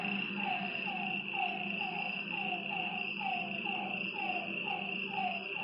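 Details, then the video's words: At night beside a lake, frogs repeat short falling notes at a steady pace of roughly two per second, while insects keep up an unbroken high trill. "Lakeside night creatures and frog sounds"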